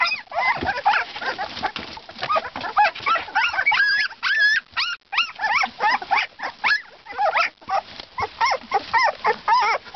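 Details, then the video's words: Siberian Husky pups at two weeks old keep up a stream of short high squeaks and whines, clustered in rapid bursts, some notes looping up and down. "Husky Pups @ 2weeks"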